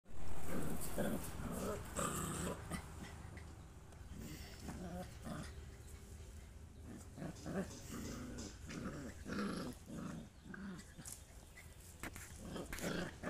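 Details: Three happy puppies at home give low rumbling growls and short soft vocal bursts, spread irregularly over steady low background hum, with faint voices mixed in.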